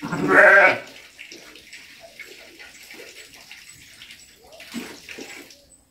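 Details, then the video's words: Ram bleating: one loud, harsh, wavering bleat lasting under a second at the start, followed by quiet rustling and soft shuffling noises. "Carneiro berrando"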